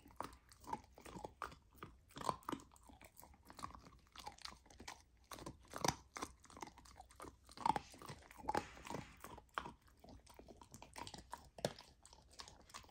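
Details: A golden retriever puppy on a raw diet eats raw lamb for the first time, chewing noisily with wet crunches and bites in quick, irregular bursts.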